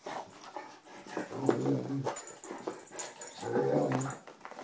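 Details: Anatolian Shepherd Sampson "play plays" with rescue dog Mia, taking care with her while sounding much like a bear. Two drawn-out, throaty growling rumbles fill the room, with snuffling and movement noise around them.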